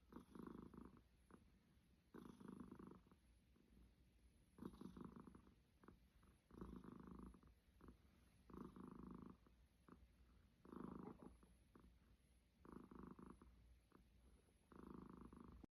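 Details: Sleeping cat snoring softly, a steady run of quiet, buzzy breaths about every two seconds with faint rasping between them, in a calm, quiet room.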